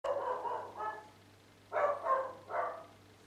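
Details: Dogs barking, recorded 10 April 2013 near a home where the noise went on daily for years; a few short, harsh barks, two early then three louder ones in quick succession, over a steady low hum.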